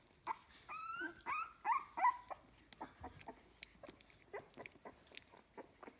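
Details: Litter of puppies aged 15 days, indoors at a kennel, giving a few short rising whines and squeaks early on, then quieter clicks, shuffling and faint squeaks.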